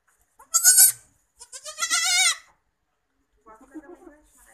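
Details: Black Bengal goat, Bangladeshi breed, after giving birth to two kids: a sharp bleat followed by a longer tremulous one with shaking pitch, then soft low grunting sounds.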